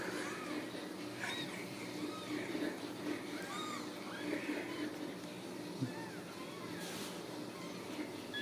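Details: Several Ragdoll kittens at a home cattery in central Kansas give thin, high, arching mews scattered through the clip over a steady low hum, with faint clicks and a brief noisy burst near the end.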